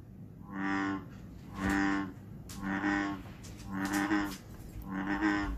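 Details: An American bullfrog's deep, cow-like droning call repeats about once a second, played as an example of a frog heard calling in Iowa in spring.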